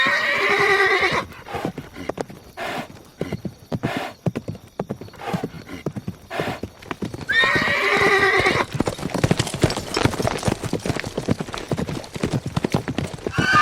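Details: A horse whinnies at the start and again midway, each a bright harmonic neigh of about a second, while hooves clip-clop in a quick, uneven rhythm between and after the calls.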